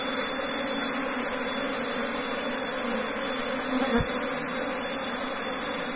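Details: Steady low drone of an Asian honey bee colony housed in a beekeeping box after being moved from elsewhere. The hum is continuous and level, broken only by one short knock partway through, over a background hiss.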